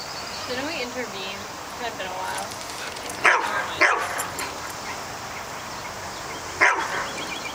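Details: Pet dog facing off with a groundhog. A person talks at the start, then three loud, sharp barks follow, two close together and one a few seconds later.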